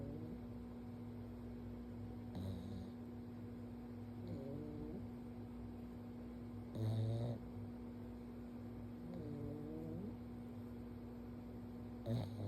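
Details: Stanley the pug sleeps on his back during gentle forehead pets and snores: wavering, whistly nasal snores come in at intervals of about two and a half seconds, with soft rumbling breaths over a steady low hum.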